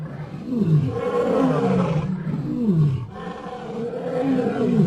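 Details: Lion giving a continuous deep, throaty growling roar with a wavering, rolling pitch that rises and falls for about five seconds without pause.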